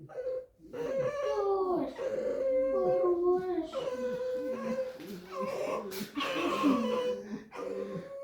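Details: Indoor pet red fox grumbling and protesting: a run of creaky, wavering whines and squeals, some rising and falling, repeated across eight seconds, with a woman speaking and music playing underneath.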